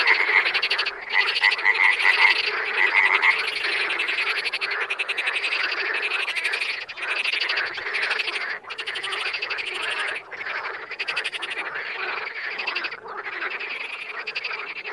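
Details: Continuous chorus of wild frogs, rapid trilling croaks repeated about four times a second, with short dips where some callers pause before the rattling resumes.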